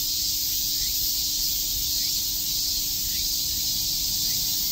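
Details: Summer-day chorus of cicadas at Shakujii Park in Tokyo, a continuous shrill, hissing buzz with a slight pulsing swell, and faint short rising notes recurring about once a second in the background.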